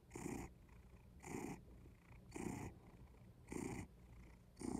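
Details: Close-up cat purr in a steady cycle of five breathy buzzing bursts, roughly one per second and a quarter, alternating with softer low rumbling as the cat breathes in.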